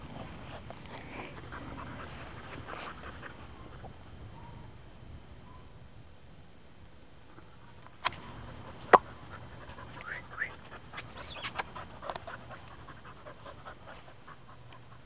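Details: A stray female Welsh Springer Spaniel, found on a street and up for adoption, recorded 18 August 2012; soft, faint breathy panting runs throughout, broken by a few sharp clicks or knocks near the middle.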